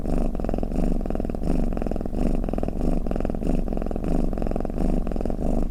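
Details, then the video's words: Snoring domestic cat, steady low rumbling purr made of fine rapid pulses, swelling and easing in breath cycles roughly every half second to second, indoors with no other sounds. "เสียงแมวกรน เปิดให้แมวฟังเคลิ้มๆไปเลยค่ะ | Snoring Cat"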